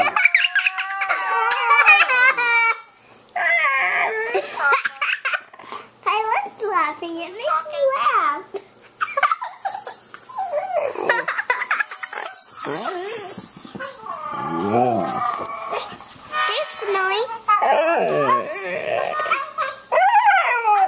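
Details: A normally quiet male husky yodels and howls in wavering, rising and falling notes in reply to a video of other huskies howling, with a person's voice mixed in.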